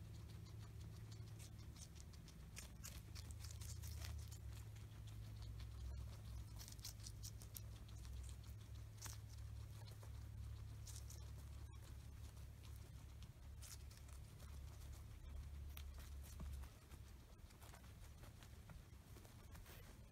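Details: Two pet guinea pigs, Oreo and Buttercup, feasting on an oversized cucumber indoors; rapid, irregular crunching and gnawing clicks, roughly four per second, over a steady low hum.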